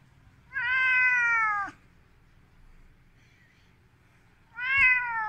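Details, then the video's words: Ginger Siberian cat, angered by a hand held toward it, gives two long strained meows about three seconds apart, each steady and gently falling, with a quiet pause and faint room hum between. "Злой сибирский рыжий кот"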